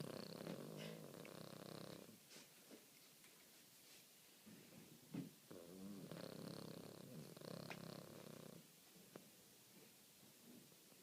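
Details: Sleeping pet guinea pig (cavy), May 2013, still snoring a few minutes after people enter the room: soft, rough breathy rasps in long low bursts, a few seconds each, separated by quieter gaps with faint clicks.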